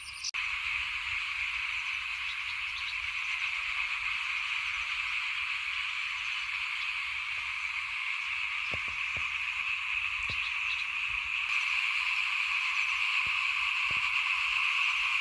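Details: Frogs by a house during 2021 rice sowing keep up a steady buzzing chorus of countless overlapping calls, with occasional faint clicks and the sound growing slightly louder toward the end.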